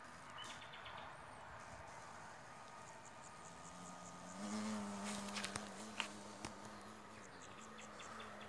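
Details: Japanese hornet invading a swarm-catching beehive, trying to nest inside an old-type hive it enters easily; a steady low flight buzz with stacked overtones holds from mid-clip to the end over faint outdoor background and scattered ticks.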